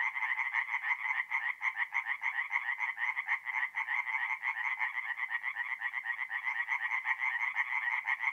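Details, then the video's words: Tree frogs chorusing at night by a forest pond in north-east Italy in mid-April, many overlapping rattling croaks forming a loud, slightly uneven pulsing wall of sound. "relaxing forest pond by night with singing tree frogs"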